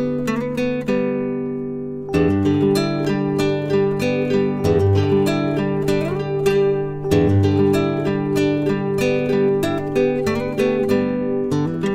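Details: Strummed acoustic guitar music fills the whole stretch with no other sounds.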